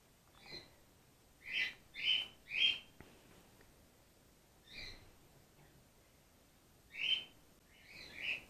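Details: Gwickle, a grey-headed flying-fox pup in care, day two, bottle fed after her mother lost her milk; a quick run of three bright squeaking calls, then a pause, then more high squeaks in pairs.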